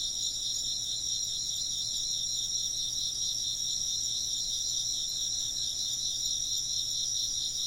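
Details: Chirping insects fill the air with a dense, high-pitched, rapidly pulsing chorus in multiple layers, continuous and uniform, over a faint low background hum.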